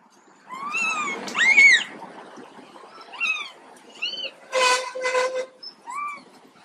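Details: Ill baby monkey Quinton gives arching whines, one louder shrill cry, then scattered short rising calls, with two brief broadband rasping bursts in the middle.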